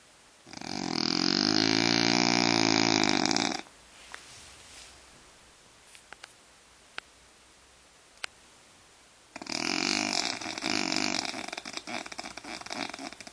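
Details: French bulldog snoring: two long, loud rasping breaths, the first lasting about three seconds and the second starting near the nine-second mark, separated by a quiet pause with a few soft clicks.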